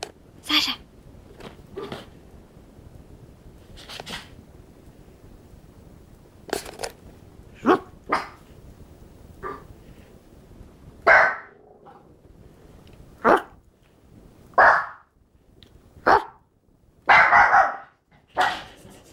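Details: Pet dog barking indoors in reaction to people outside imitating a barking dog; short sharp barks come irregularly in bursts, loudest and most frequent in the second half, with quiet pauses between.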